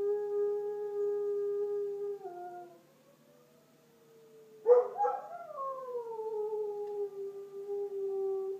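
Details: Border Collie Bandit echoes a tornado siren test. A steady, held howl steps down and fades into a brief near-silence, then a rough, cracking onset breaks into a new drawn-out howl that falls and levels off.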